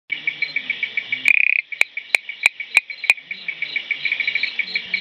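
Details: Blue-eyed bush frog, Raorchestes luteolus, calling: a steady series of short clicky notes, about three a second, interrupted by a rapid buzzing burst and several sharp loud clicks before the regular series resumes.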